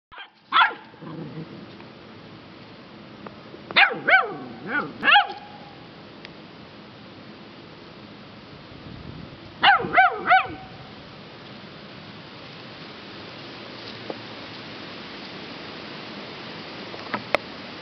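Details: Rescue puppies, eleven weeks old, a lab hound mix and a beagle mix: a few high, sharp barks in short bursts near the start, at four to five seconds and around ten seconds, with quiet room hiss between.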